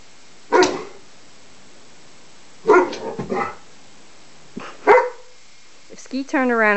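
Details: Barks during play between Juno and Maverick, a Greater Swiss Mountain Dog puppy who is unsure about playing: a sharp single bark, a quick cluster of three barks two seconds later, then another lone bark, with voices indoors.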